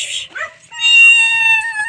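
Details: One of several pet cats gives a single sustained, steady meow lasting about a second, following brief human speech as the owner calls to it.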